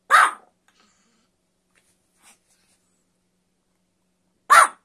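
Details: Puppy barking: two short, sharp yaps about four seconds apart with near silence between them and one faint tick in the middle.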